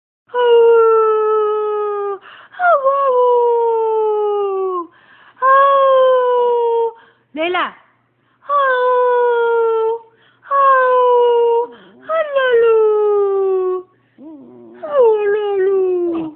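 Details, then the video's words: Pet husky howling indoors, a string of long, tonal, harmonic howls, each sliding gently downward and lasting one to two seconds, with short breaks, a few brief yelping upturns and one sharp rising yip between them. "My husky howling"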